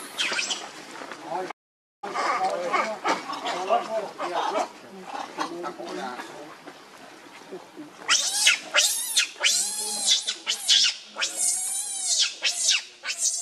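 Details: Rainbow the monkey, angered while guarding Lucie against Kachoy, gives a mix of rough, noisy squeals, then a fast series of piercing, high-pitched screams over the final seconds, roughly one and a half per second.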